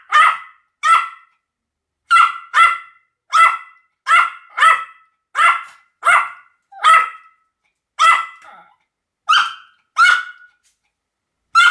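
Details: Pomeranian barking in a steady series of short, sharp, high-pitched barks, about one every half second with brief pauses, each bright and harmonic, with no other sounds.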